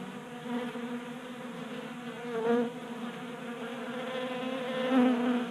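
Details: Honey bees feed at a 3D printed feeder in a Colorado garage on a warm January day. A quieter background hum swells twice as single bees buzz close by, around the middle and again near the end.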